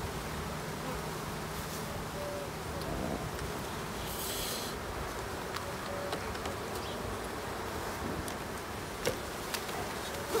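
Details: Honey bees during a late-summer hive inspection on 22 September: a steady, dense low hum of many bees that holds evenly throughout, with a few faint clicks and a brief hiss in the background.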